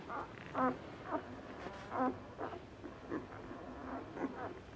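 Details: Newborn Asian Bear Dog puppies, ten days old, from a Tibetan Mastiff and American Akita F1 litter of two boys and three girls, giving short nasal grunting squeaks repeated about once a second, unevenly spaced.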